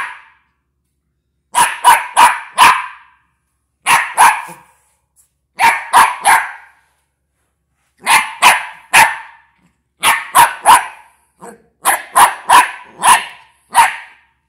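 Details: Westie puppy barks at a box in rapid clusters of two to four yaps, each burst crisp and high, separated by brief silences across a steady, insistent run.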